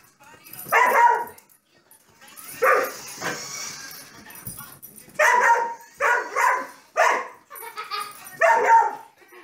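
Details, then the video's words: A Carolina Dog / Basenji mix named Bowser barks at Mario on screen during a family gaming session around Christmas, giving sharp harsh barks in uneven bursts, several close together near the end, with faint game sounds and hiss behind. "Bowser the Dog Chasing Mario!"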